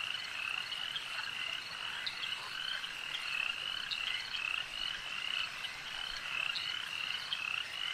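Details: Frogs croaking together at a lake, a constant wall of overlapping raspy pulses with occasional higher ticks, the level rising and dipping gently throughout.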